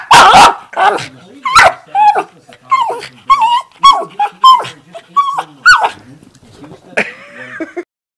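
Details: A female pet dog 'talking' playfully, opening with loud, harsh barks, then short yelping whines and bark-like yips in an uneven string, closing with a rough, breathy grumble.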